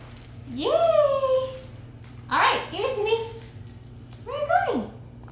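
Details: Twelve-week-old Imperial Shih Tzu puppy in its first week at a new home, indoors: three drawn-out whining yelps, each sliding down in pitch, the middle one harsher, over a low steady hum.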